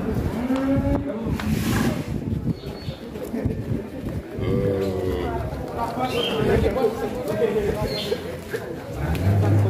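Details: Large fattened cattle, billed as a monster-sized animal, give low, drawn-out moos from their pen, partly buried under loud background music and people talking.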